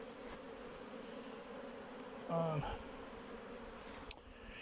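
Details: Domestic honey bees at the hives on 8 May 2023, in a spell of cold weather. A continuous low drone of the colony, then one bee passing close with a louder, tonal buzz, and a sharp click near the end.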